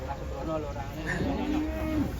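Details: Enraged bull being unloaded from a truck in Indonesia, horn broken, lowing with a steady low tone that holds for about a second near the end, while men shout warnings in the background.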